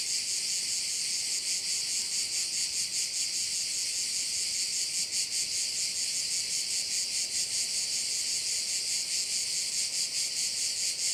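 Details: A continuous shrill buzzing chorus of crickets beside a Korčula bay in Croatia, pulsing rapidly and quite regularly from start to finish.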